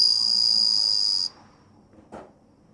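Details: Bell cricket recorded on 27 August 2020: a steady, high, bell-like ringing tone held for just over a second, then quiet with a single soft knock.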